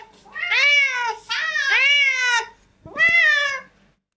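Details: Cats at a breakfast table, one giving loud, drawn-out rising-then-falling meows, two long ones followed by a shorter third, in a quiet small room.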